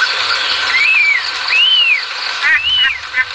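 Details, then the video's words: Leptopelis vermiculatus gives clear, arched notes that rise and fall, three in about three seconds, over a steady high hiss. "Leptopelis vermiculatus chant"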